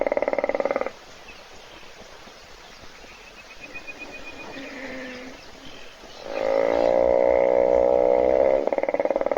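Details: Hippopotamus snoring while asleep in a puddle at a South African waterhole, caught by a wildlife webcam as thirsty animals wait for it to wake; a brief pulsed, buzzing rasp at the start, a quiet gap, then a longer rattling snore of rapid vibrations.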